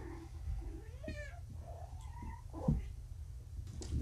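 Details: Young kitten, one of four littermates freshly neutered and woozy on pain medication, calling indoors before feeding; one clear, bright, drawn-out meow, then fainter mewing amid room hum and small knocks.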